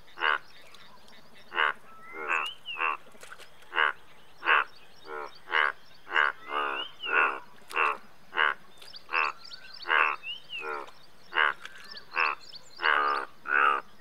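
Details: Croaking Indian bullfrogs, India's largest frog, several calls overlapping in a steady chorus of short, pulsed, nasal croaks spaced under a second apart, with faint bird whistles behind.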